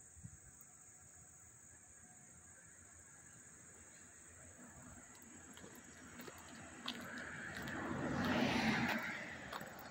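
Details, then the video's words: August 13, 2024 in Hastings-on-Hudson, NY: a close chorus of crickets holds one continuous high-pitched ringing tone, and a vehicle rumbles louder toward the end before easing off. "the chirping of the crickets"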